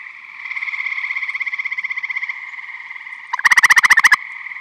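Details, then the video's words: Michigan vernal pond in spring or summer: a softer, longer trill from a more distant gray tree frog runs for about two seconds, then an eastern gray tree frog nearby gives a short, loud pulsed trill, with steady frog chorus throughout. "Eastern Gray Tree Frog Vocalizing"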